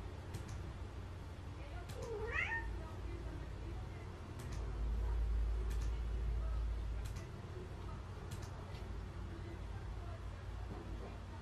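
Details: Cat coming to its owner indoors and begging for treats, giving one clear rising-then-falling meow near the start over steady low background noise, with the owner talking.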